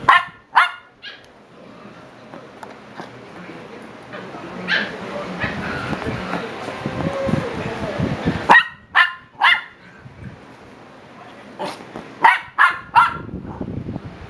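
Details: Shiba Inu puppies at seven weeks old give sharp, bright yips in quick bursts at the start and again near the end. A long noisy stretch of rustling and human voices sits between them.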